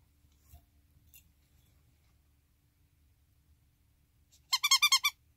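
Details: Pet ferret Gin-chan, indoors, recovering for the third time from a dangerous condition. A quiet room with faint rustles, then near the end a quick burst of about six short, bright, squeaky clucks in under a second.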